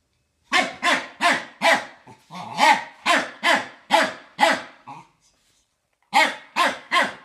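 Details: Rek, a fox terrier facing a Samsung vacuum cleaner, lets out a burst of loud, harsh, slightly growly barks, pauses in silence for about a second, then resumes with three more barks.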